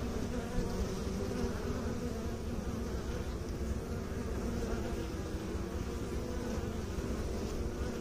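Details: Honey bees humming in a steady low drone at a beekeeping site, thick and unbroken, with slight waxing and waning in the buzz.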